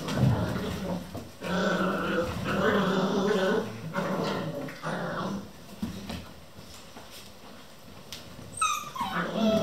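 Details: Eleven Vizsla puppies at a kennel playing non-stop at 3 am: rough, buzzy low growls in bursts over the first four seconds, then quieter scuffling, ending with a high falling yip or whine.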